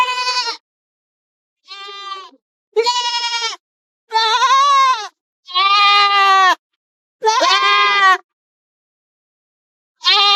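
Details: Goat (Capra hircus), bleat.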